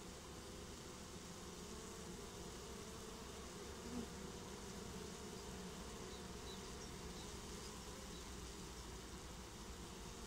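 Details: Swarm of honeybees getting a new home, a soft, unbroken buzzing drone with a steady low tone over rumbling background noise, one faint click near the middle.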